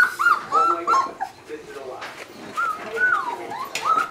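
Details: Alaskan Malamute pups of Ciqala's litter, 26 days old, at the Sakima Kiwidinok kennel, recorded 20 September 2009: short, high, arched whines come in quick bursts, rising and falling, while human voices murmur in the background.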